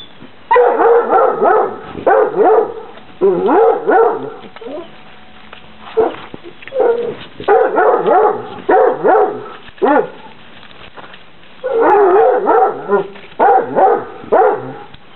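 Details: Eight-week-old Basset Hound puppies from a Polish kennel, outside for the first time on 26 December 2008. High yelps and whines come in rapid bursts of several seconds, with short quiet gaps between them.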